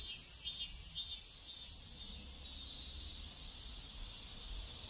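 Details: South Korean neighborhood cicadas fill the air with a loud, high buzzing song, throbbing in quick repeated pulses roughly twice per second before evening out into a sustained drone, with faint low traffic-like rumble beneath.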